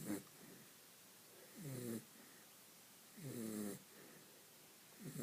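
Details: Vinny, a dog, snores in sleep with drawn-out grating inhalations about every one and a half seconds, four snores in a row.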